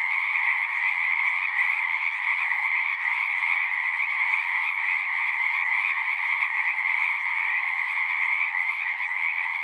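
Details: Pond in a horse pasture, captured with a Zoom 6: a thick, continuous chorus of frogs, massed trilling calls blending into a steady shimmering drone with bright upper and lower layers, no break from start to end.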